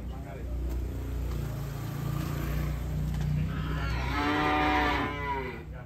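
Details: A fat, cute cow getting off a truck gives a long, low, drawn-out moo lasting about five seconds, steady and richly harmonic, turning brighter and more strained near the end, over a constant low rumble.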